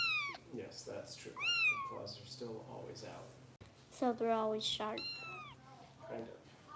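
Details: Indoors in Los Angeles, a rescue kitten named Harper cries while being bottle-fed: shrill falling mews at the start, another rising then dropping, and a longer wavering cry later, over a person talking and a faint background hum.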